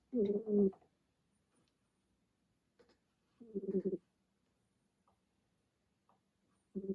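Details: Napping kitten named Remi snoring indoors after a busy day guarding his house; low, rough, buzzy snores with a throaty tone, each about half a second long, repeating roughly every three and a half seconds, with quiet faint rustles in between.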